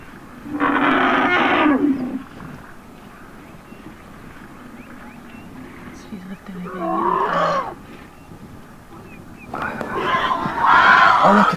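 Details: African elephant calf stuck in mud on a South African safari, screaming for help as its mother comes to the rescue: loud harsh trumpeting screams of about a second and a half, three bursts separated by quieter gaps.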